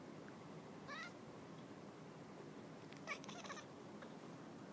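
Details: Domestic cat named Silver chasing a laser, giving a short chirpy harmonic call, then a cluster of brief chattering calls two seconds later, over a steady low room hiss.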